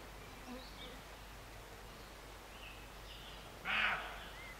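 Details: Roe deer near Morpeth, Northumberland, recorded in August 2012, giving a single short, harsh, broadband bark near the end after a quiet stretch, with faint, thin bird chirps scattered in the background.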